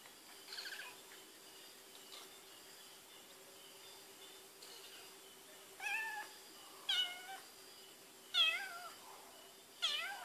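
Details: Smelling Whiskas on 12 May 2013, the cat Barbie Choc stays quiet at first, then gives four short, bent meows about a second or more apart, each sliding down in pitch, against a low electrical hum.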